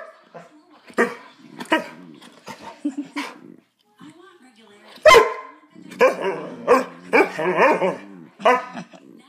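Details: Two pet dogs at play, one annoying the other until the smaller dog bites and gets mad: short sharp barks and harsh growling snarls in bursts, with a loud bark near the middle and a person speaking in between.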